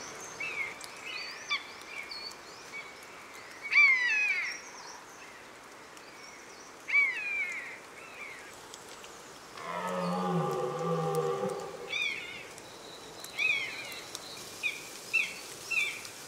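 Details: One deep, drawn-out roar from a red deer in the October rut, lasting about two seconds midway, set among frequent high whistled and chirped bird calls.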